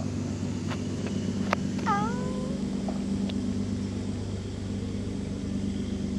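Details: A cat gives a single short, downward-sliding meow midway through, heard against a constant low rumble of traffic and engine noise with a few faint clicks.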